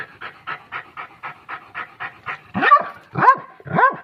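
A Pomeranian pants quickly, then gives three sharp, high-pitched yapping barks.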